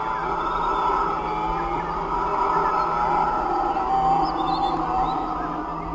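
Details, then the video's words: Black howler monkey in the dense Pantanal canopy in the morning, a call said to mark territory and avoid conflict with other groups, audible up to 5 km; a deep, sustained roaring drone rolls continuously, with faint higher chirps. "C'est le chant du singe, hurleur noir, l'un des sons les plus puissants de toute la forêt tropicale."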